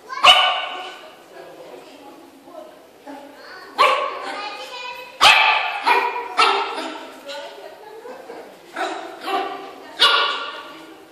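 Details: Yorkshire Terrier seeing itself in a mirror for the first time gives sharp, high yapping barks in irregular bursts of one to three, several seconds apart, with a person talking quietly in between.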